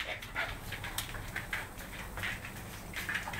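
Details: Riley, a 10-week-old Siberian Husky puppy, play-fights at home with Will, a one-year-old German Shorthaired Pointer, for alpha status. Quick breathy puffs and short scuffling bursts come in an uneven rhythm, with a person nearby urging nice play.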